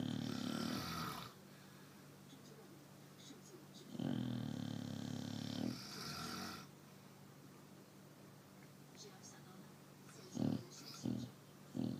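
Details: Chow Chow. A Chow Chow snores, each breath a low, rasping rumble lasting a few seconds before a quiet pause. Shorter snorts cluster near the end, with a faint room hum in between.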